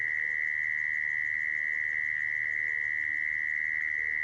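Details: Mole cricket call, played to lure mole crickets into traps: a steady, unbroken mid-pitched trill holding one even tone throughout, with faint low background hum.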